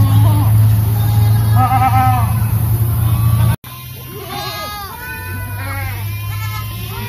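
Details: Boer goats kept with their kids bleat: short, quavering, nasal cries, first a few spaced calls, then after a brief cut a quicker cluster of overlapping bleats, over a steady low engine-like hum.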